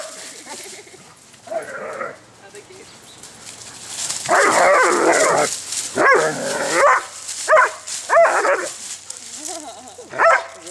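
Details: Two dogs, Skywalker and Woody, wrestling in play among leaves outdoors on a warm, beautiful day in southwest Michigan; rough, noisy growl-barks in bursts, longest around the middle, with a woman talking and calling Woody's name.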